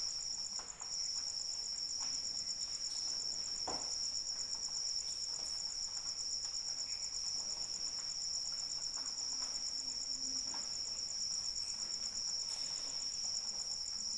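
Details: Crickets calling during rain, recorded as a sleep aid: a steady, shimmering high trill of rapid, even pulses runs through the whole stretch over a soft hiss of falling rain, with a few faint drip-like taps.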